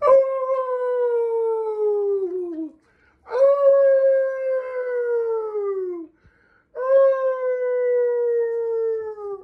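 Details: Pet Chihuahua dogs howling indoors: three long, steady, slightly falling tonal howls, each about three seconds with short gaps between, clean and strong with no other sounds.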